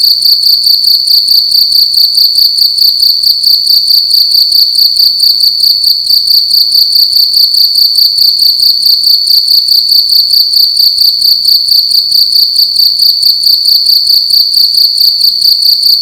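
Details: Loud cricket calling indoors in a room during the night, a continuous high-pitched ringing chirp made of fast regular pulses, unbroken throughout, with no other sounds.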